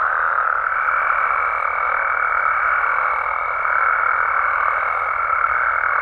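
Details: Wild frogs and toads of Mexico calling after dark: a dense unbroken chorus joined after the first half-second by a steady high tone that holds to the end.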